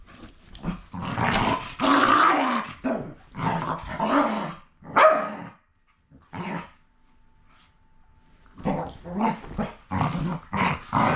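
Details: Two rescue dogs playing rough with each other: bursts of loud, rough growls and snarls in quick runs, a quiet gap of about two seconds midway, then more growling volleys.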